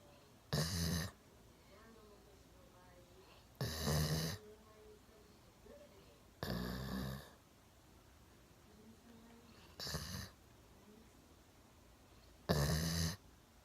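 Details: One-year-old Golden Retriever Milo sleeps deeply on the sofa, chin propped on a table. Five breathy, rumbling snores recur about every three seconds, with faint soft sounds in the pauses.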